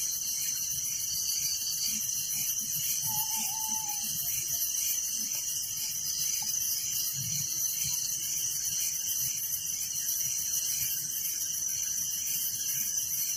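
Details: Steady nighttime cricket chorus in a village, many insects trilling together in a bright, high, finely pulsed drone, with a short level whistle early on.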